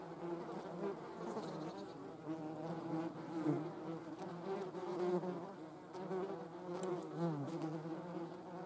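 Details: German wasps filling the air with a dense, wavering drone, many overlapping buzzing tones bending up and down throughout, loudness pulsing gently as insects move about.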